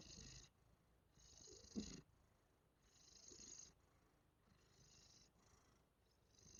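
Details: Pet cat's steady purr heard at close range: soft, hissing, rumbling pulses rising and falling with its breathing about every one and a half seconds, one louder burst near the start.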